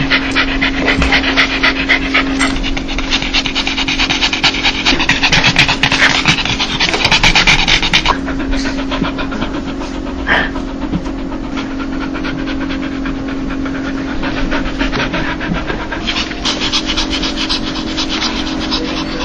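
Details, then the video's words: Happy dog panting laugh: dense, hoarse breaths in fast succession, louder through the first eight seconds, then softer and sparser, with a faint steady hum behind. "강아지웃음소리 강아지 행복할때나오는소리(the sound of a dog)"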